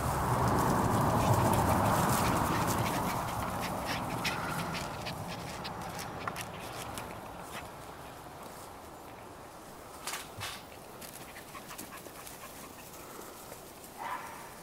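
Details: Cairn Terrier puppies at a kennel in Escaudes, with a strong, sustained whining cry for the first few seconds, then quieter, scattered squeaks and soft clicks.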